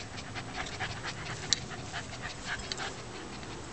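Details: Found Shih Tzu panting with fast, steady breathy puffs at a regular rhythm, close to the microphone, with a faint click and a quiet indoor background.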